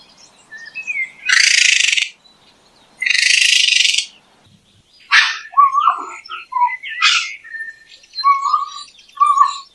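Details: Raccoon making two long, harsh, hissing bursts about a second each, then a run of short rasping notes mixed with small whistled chirps and squeaks.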